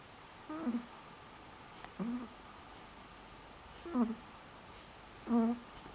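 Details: Dog named Selma asleep and snoring, October 2015. Brief whiny, nasal squeaks that drop in pitch, four of them at breath intervals of roughly one and a half seconds, with a soft murmur nearby.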